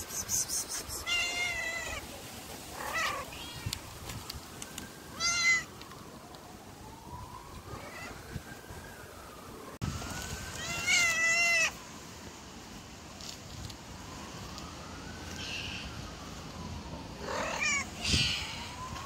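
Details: Hungry stray mother cat with three kittens living on the street: high, plaintive meows with arching pitch come in bursts, several in quick succession near the start, then again mid-way and toward the end, over steady outdoor wind noise.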